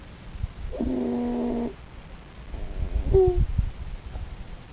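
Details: Snoring raccoon in its sleep: one steady, harmonic, rattling snore lasting about a second, followed by a short whistling squeak and soft breathing noises.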